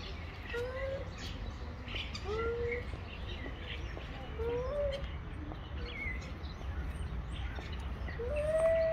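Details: Stray male cats square up to fight, giving fainter, short, drawn-out wails that rise and bend in pitch, spaced every second or two against a constant low traffic-like hum.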